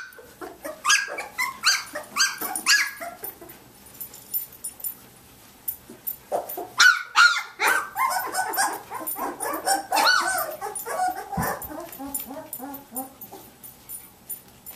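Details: Athena's Samoyed puppies, day 19, all up and playing; a long stretch of overlapping shrill yips, whimpers and small barks, busy at first, a quieter patch midway, then renewed clustered squeals.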